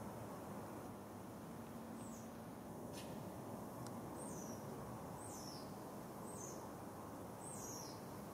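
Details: Smooth-coated otters of a wild family in Singapore with two adults, a juvenile and six pups, recorded 6 July 2024 at 9.05am. Brief high squeaky downslurred chirps come about once a second, with a couple of sharp clicks over constant urban hum.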